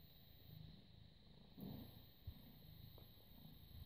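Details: British Shorthair cat born 18 August 2010, purring while cuddled and petted, recorded 30 August 2017 at 09:51; low, steady rumbling purr with rhythmic pulses, a brief rustle of handling midway, a faint constant hum behind.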